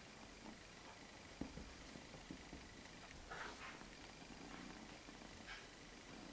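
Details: A male Maine Coon kitten purrs softly, a low steady rumble with faint room noise around it.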